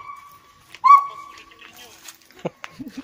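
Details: A caged gibbon, possibly kept alone, at a monkey temple in Thailand cries or sings with a long, steady, mid-pitched wail that swells suddenly, followed by people talking.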